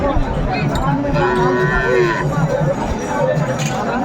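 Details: Sahiwal cattle at a busy Noakhali cattle market in Bangladesh on 22 February 2025. A short, nasal moo of about one second sounds midway, with steady low rumble and crowd chatter behind it.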